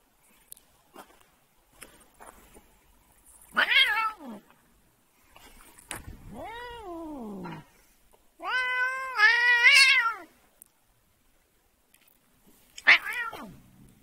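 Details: A cat being pestered gives repeated yowling meows and one long, wavering caterwaul that swells and falls. The cries are separated by short quiet gaps in a small indoor room.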